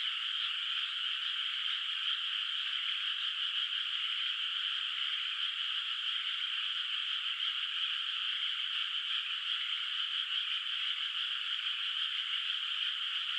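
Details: Night chorus of frogs echoing across a moonlit countryside paddy with bare water, not yet planted: a thick, constant trilling mass of calls, even and unbroken from start to finish, with nothing else audible.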